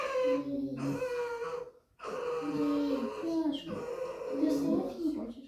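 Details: Tame red fox kept indoors, protesting at not wanting to go outside: drawn-out, squeaky whining cries with strong overtones, in two long bursts split by a brief pause, while a woman talks to it over background music.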